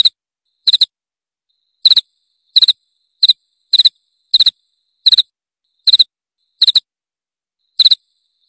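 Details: Cricket sound used to drive away rats: clean high chirps in short pulsed bursts of two to three pulses, repeated at irregular intervals of roughly half a second to one second, no other sounds.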